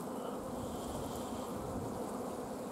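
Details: Honey bee colony at an apiary on 14 June 2016, a hive short of forage and nectar where the workers have blocked the queen from laying; a steady, dense low hum of many bees holds without a break.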